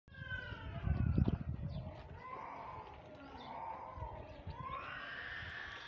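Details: Baby goat calling in a series of wavering, nasal bleats that slide downward and then rise again. They run almost continuously over a low rumble of handling or wind noise.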